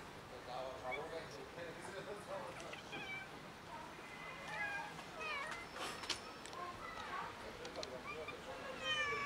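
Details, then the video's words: Six very hungry street cats at feeding time, meowing loudly; several overlapping wavering meows rise and fall throughout, mixed with human speech and outdoor rustling. "6 Very Hungry Cats Meowing Loudly"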